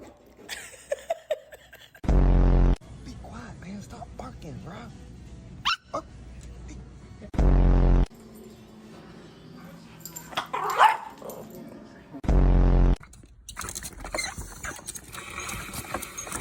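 A Yorkshire Terrier lets out loud, rough, angry barks, each burst lasting under a second and coming roughly every five seconds. Between them a man's voice urges the dog to be quiet.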